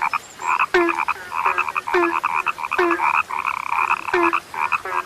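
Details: Rare-sounding frog chorus: rattling, rapidly pulsed croaks overlap almost without a break, punctuated every second or so by a deeper, short, falling note.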